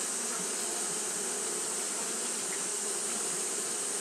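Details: Japanese honey bees kept fanning through a hot day; a continuous buzzy hum with a bright, hissing upper layer runs evenly from start to finish.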